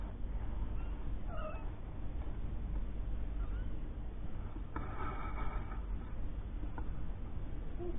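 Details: Mother cat Lucy with her three-week-old kittens, born indoors after she was rescued from under a caravan. Short mewing cries near the start, later a fuller harmonic meow lasting about a second, amid constant low hum.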